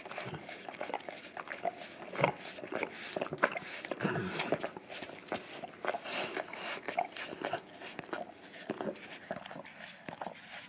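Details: Male English cream golden retriever licks a peanut-butter-covered tongue brush taped down on tile inside a house. Dense, irregular wet laps and tongue smacks come several times a second, louder bursts mid-clip, with soft indoor background hiss.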